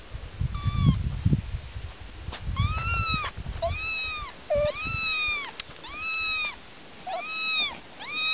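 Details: Kittens on a morning picnic mewing steadily, a clear curved meow about every second, each rising and dipping, over low thumping handling noise early on.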